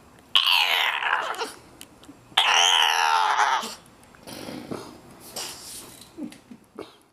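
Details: Bulldog, told its box is too small, lets out two loud, rough grumbling-whining bursts about two seconds apart, then quieter snuffles and short noises.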